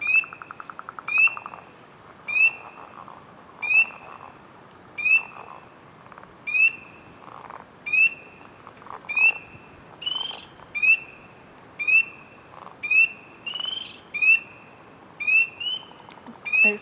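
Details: A frog filmed in close-up gives a steady run of about thirteen bright, rising chirps with buzzy upper tones, spaced a little over a second apart. Its calling sends ripples across the surrounding water. The background is quiet.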